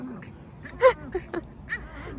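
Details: Boston Terrier named Mocca at a playground, excited at seeing her favourite bouncy ball and whining to have it kicked; short high whimpers and yelps with a rising squeal near the start, over low outdoor rumble.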